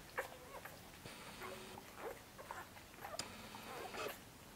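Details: Nursing Korthals Griffon puppies, six days old, in Djip's busy nest utter sharp high squeaks and short whiny cries, several bursts over a few seconds with quiet shuffling between.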